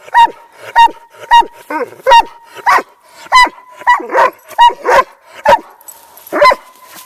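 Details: Hundred-pound Doberman barking right into other dogs' ears while they ignore him, a surprisingly high, yelping bark; about a dozen sharp barks in seven seconds, roughly one every half second, some doubled, with a faint steady hum underneath.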